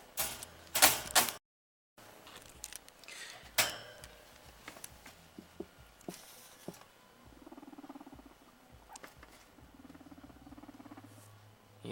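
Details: A young guinea pig purrs, a low, soft, vibrating rumble, after some handling clatter; described afterwards as pretty loud.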